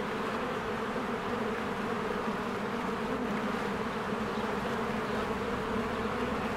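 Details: Honeybees swarming in and out of their hive in spring as flowers bloom and trees green; a dense, steady, low buzzing hum of many wings fills the whole stretch without pause.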